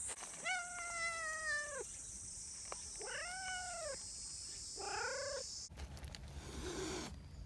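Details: Three drawn-out meows from friendly community cats, the first long and level, the next two arching upward and falling. A loud rustling burst near the end, with a high hum behind it.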